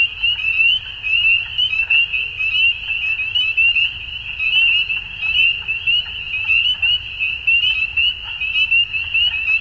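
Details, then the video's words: Dusk frog chorus, many frogs trilling together in a continuous shrill buzz, with louder pulses rising and falling irregularly against a soft low background hum. "Frogs At Dusk"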